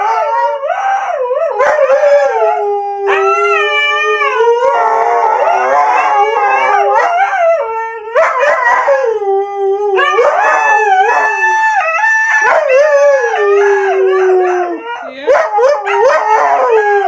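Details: A Siberian Husky howls when urged to do it again, giving a long run of wavering, yodel-like howls with frequent pitch jumps and short breaks, loud and continuous for most of the recording.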